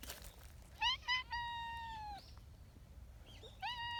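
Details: Tabby community cat seeking affection on a bench, giving a strikingly husky, high-pitched meow: two short rising calls, then one long, level, drawn-out meow, and a final rising meow after a pause, over low outdoor rumble.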